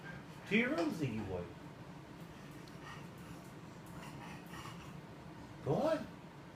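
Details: Domestic cat Ziggy talks back to his owner in an argument over where he is allowed to lay about: two rising-and-falling meows several seconds apart, with quiet room sound and breathing in between.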